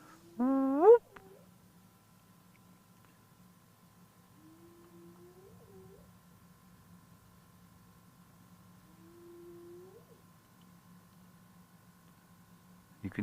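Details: A distant spotted hyena far to the north at sunset on 16 July 2024 gives rising, quavering whoops spaced several seconds apart, calling as it walks on territorial patrol.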